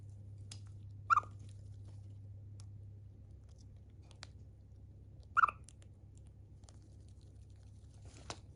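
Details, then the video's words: A pet Siberian chipmunk called Chiro chirps while eating and yawning: two short bright chirps about four seconds apart among faint clicking and nibbling noises, over a constant low indoor hum. "あくびしながら鳴くシマリス・チロ Chipmunk yawning and chirping 鳴き声"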